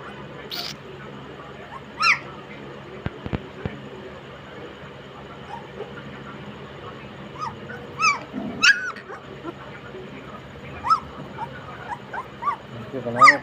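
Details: Sixteen-day-old German Shepherd puppies making scattered short, thin squeaks and rising whines, irregular and fairly quiet, with a couple of sharp clicks and a steady low background hum.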